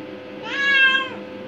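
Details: Curious indoor domestic cat, aged five years eight months, exploring the bathroom, utters one long, level, harmonic-rich meow lasting about half a second, swelling then easing off, against faint indoor hum.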